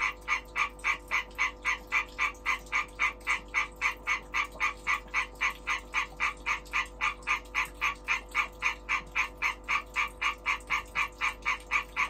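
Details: European tree frog in breeding season calling steadily, a quick metronomic run of short grating croaks at nearly four per second, slightly uneven in strength, over a faint electrical hum.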